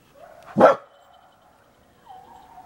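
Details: Coyotes howling: a single sharp, loud bark-like burst, then a faint steady mid-pitched howl and a short wavering howl note at the end, over quiet background.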